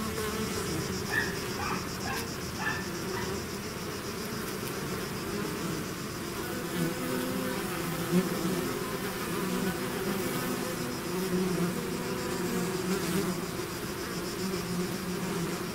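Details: Swarm of bees leaving the hive, a continuous thick buzzing hum from countless wings, even in level throughout, with faint flickers of individual bees passing close near the start.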